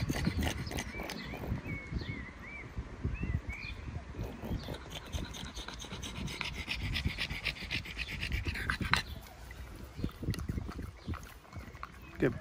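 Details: Pangpang the pug taking a break on a warm summer day in London, panting in quick, breathy, rhythmic puffs that run steadily throughout; small birds chirp and twitter in the background during the first few seconds.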